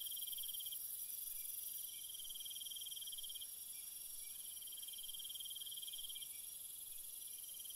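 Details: Crickets calling at night in long, fast-pulsed high trills that break off briefly now and then, with a faint high insect hiss throughout.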